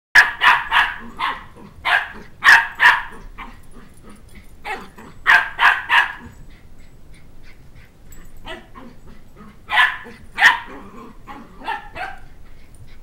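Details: Two-month-old Sheltie puppy chasing a two-year-old child around a coffee table for his stuffed toy dog head, giving high, sharp yapping barks in irregular bursts of two to four, with short pauses between bursts.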